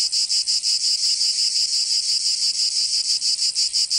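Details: Provence cicadas in summer, France: shrill insect buzz broken into short rhythmic bursts, about three per second, with clear gaps between pulses.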